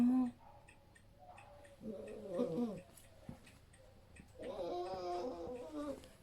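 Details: Abandoned female puppy about two months old, found alone under a bus-stop bench in a village on a cold rainy day, sick and unable to walk properly, crying for help: two drawn-out, wavering whimpering cries separated by a quiet pause, with a brief squeak at the start.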